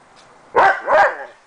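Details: A happy, playful dog meeting its owner in the morning gives two quick, bright barks in succession in greeting.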